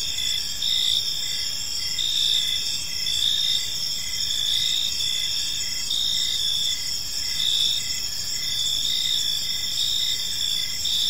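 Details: Park at evening filled with cricket chirping: layered high trills run without pause while a lower series of short chirps repeats at a steady pace throughout, over faint background hiss.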